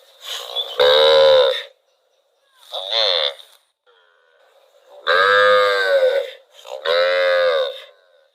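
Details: A cow wandering through rural rice fields gives four separate moos, two short and two long, each rich and harmonic, with brief silences between them.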